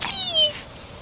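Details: A female Basenji gives a brief, high, tonal yodel that slides downward, greeting her owners excitedly after a weekend apart.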